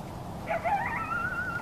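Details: At night in the rain, a coyote yips near a balcony: a short run of quavering, rising and falling yelps ending in a thin sustained whine, over a constant soft patter of rainfall.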